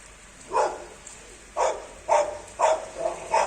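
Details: Labradors out playing in the rain; five quick, fairly loud barks, roughly every half second after a pause, with steady rainfall behind.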